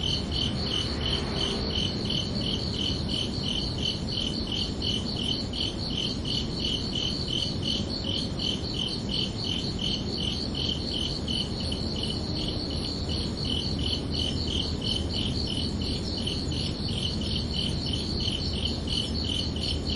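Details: Crickets chirping under a night sky on a summer evening, a steady run of short, high, pulsed chirps repeating rapidly and evenly, with a second fainter higher band of pulses and a low constant rumble of background noise throughout.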